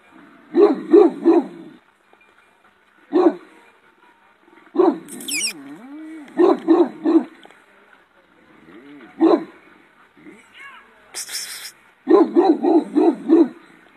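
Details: Shepherd dog with a powerful bark, recorded in 2018: deep, harsh barks in quick bursts of three to five, separated by pauses, plus single barks, a low wavering whine-like sound and two brief high scratchy noises.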